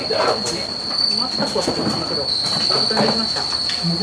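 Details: Many bell crickets at the Bando no Oka facility in Oasa-cho, Naruto, packed with soil, moss and carrot for shipping. An unbroken high-pitched ringing drones on beneath soft thumps, rustles and faint voices.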